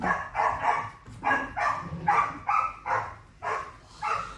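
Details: Staffordshire Bull Terrier puppies from a litter in which the weakest, about a month old, has just died; indoors. High, whiny yelps come in quick bursts, roughly two per second, about ten in all, with faint room noise beneath.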